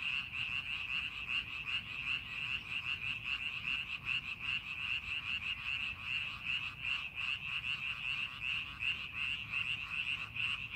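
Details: Frogs croaking in paddy fields during preparation for farming, many callers blending into a sustained, rhythmic high-pitched pulsing chorus at about two and a half beats per second.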